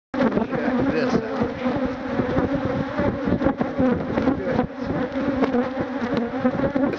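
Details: Thousands of Africanized honey bees, called killer bees, attacking and stinging a man who tries to remove their hive; a dense, steady swarm drone with a strong low hum and brighter overtones, broken by sharp thumps and knocks.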